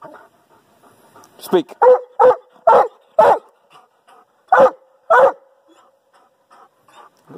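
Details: A Doberman Pinscher barks on command, giving loud, deep, sharp barks in uneven bursts, measured at about 128.7 decibels roughly 24 inches from his mouth.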